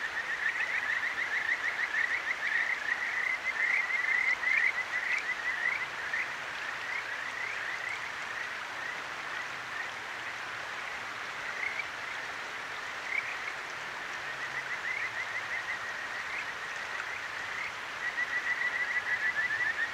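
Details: Kajika frogs in the Akigawa Valley, Tokyo, trilling at night along a clear stream; high rippling calls come in bursts, fading and returning, with constant water noise beneath.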